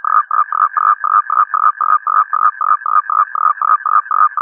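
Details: Toad calls: a steady series of short, nasal pulses, about four per second, at a mid pitch with faint overtones. Each pulse is cleanly separated by a brief gap, with no other sounds in the background.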